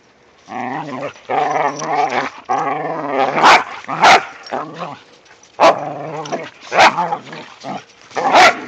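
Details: Snowy romp of whippets and a rat terrier in the first light snow: long, rolling harmonic growls open, then a series of loud, snapping barks every second or so.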